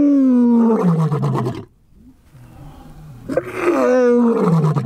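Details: Male lion at a big cat sanctuary starting a chorus of roars: two long, powerful, falling roars with rich harmonics, separated by a brief quiet gap.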